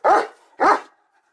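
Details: Odin, a German Shepherd, barks twice in quick succession, each bark a harsh, full-bodied burst about a quarter second long, separated by a brief gap, then quiet.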